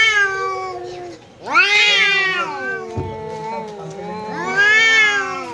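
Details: Pet cat standing its ground against a visiting cat: harsh, wavering yowls that swell loudly, fall into a steady low moaning growl, then surge again into another drawn-out wail.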